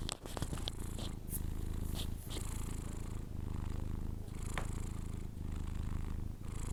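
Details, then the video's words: Sleeping Persian cat snoring indoors: a steady low rumble with soft breathy hiss rising and falling in slow cycles, and a few faint clicks near the start. "record my Cats snore when he sleeping"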